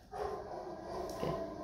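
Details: A recorded dog barking, played indoors to simulate a dog outside while a pet dog is trained to stay calm, gives short mid-pitched bursts, one near the start and another a second later.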